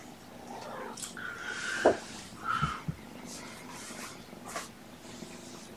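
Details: Kittens from Mama Olympia's surrendered litter, born November 22, sleepy on a February 13, 2018 afternoon: two short tonal meows near 1.8 and 2.6 seconds, with soft rustling and handling noise around them.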